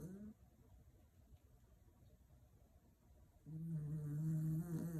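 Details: Chimiko, a rescued Toy Poodle, snoring: a low, steady droning snore heard briefly at the start, then a louder, sustained buzzing snore near the end after a quiet gap in a hushed room.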